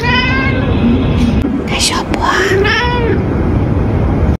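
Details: Domestic cat meowing: a drawn-out harmonic meow, then rising and falling whines, with human speech and room noise throughout.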